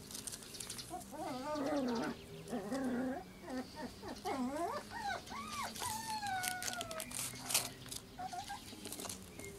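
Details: Cairn Terrier puppies born 25 April 2012, recorded 12 June 2012 at about seven weeks old; several wavering, high whines and squeaky yelps rise and fall in quick overlapping bursts, ending in long descending whimpers over faint low background hum.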